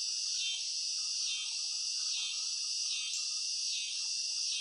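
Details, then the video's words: Cicadas give a steady, shrill, high buzz that swells in pulses roughly every second, over a faint lower murmur. "CICADAS CHIRPING SOUNDS"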